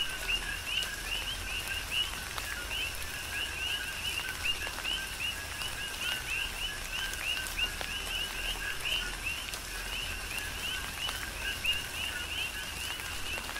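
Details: Coqui frogs chorus through a tropical rain shower on the Big Island of Hawaii: many overlapping two-note calls, a lower note then a higher rising chirp, repeated steadily against a constant hiss of rain and scattered drips.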